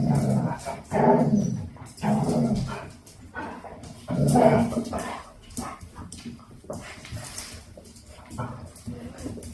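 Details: Two-month-old Dalmatian puppies romping with their mother and grandmother before bedtime; bursts of low growling and playful grumbles about every second at first, fading to quieter scuffles and thumps.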